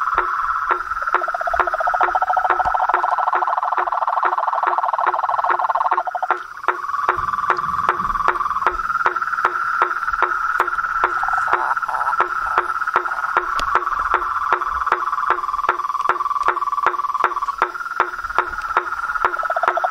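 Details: Frogs and toads calling together in nature: an unbroken buzzing trill that shifts pitch between overlapping callers, punctuated throughout by quick regular knocks, with a brief low rumble partway through.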